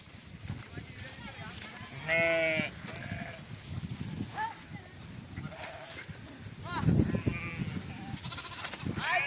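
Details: Flock of sheep grazing an onion field, two loud wavering bleats standing out around the middle and later, over steady low rumble, chatter of people and outdoor noise.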